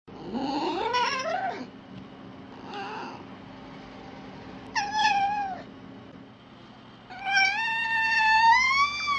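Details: Wild fox giving wavering, harmonic calls: a rising wail near the start, a short call around three seconds, a brief bent cry near five seconds, then a long quavering wail over the final two seconds, above a steady low background hum.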